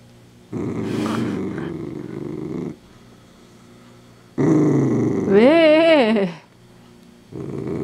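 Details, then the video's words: Dachshund growling while eating a crunchy homemade treat: two long, low, rumbling growls, the second rising into a wavering whine-like moan, with a third growl beginning at the end. "오도독 수제간식먹는 닥스훈트"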